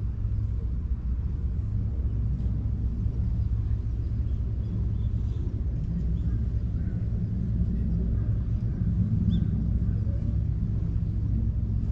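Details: Steady low rumble of passing vehicles fills an outdoor scene, with no animal voices heard.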